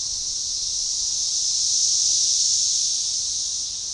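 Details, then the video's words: Periodical cicada chorus of Magicicada tredecassini, synchronized, recorded June 7, 2015 near DeValls Bluff, Arkansas at a forest edge: an unbroken high buzzing wall of sound peaking in the middle and fading a little toward the end. "Magicicada tredecassini organized chorus"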